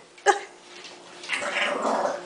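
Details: English Bulldog puppy Marshall growling indoors: one sharp short yelp, then a rough, rasping, noisy growl that swells and holds through the last second.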